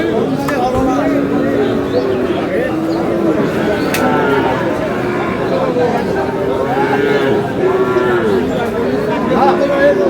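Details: Sahiwal bull calves at the start of trading at Aftabganj cattle market, Dinajpur, on 10 March, lowing in overlapping, drawn-out moos, some rising and some falling. Constant loud crowd chatter and men's voices fill the market.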